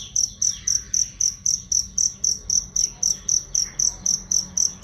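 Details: Cricket chirping as a training sound for songbirds, loud and clear: shrill, high chirps pulse steadily about four times a second throughout, over a faint low hum.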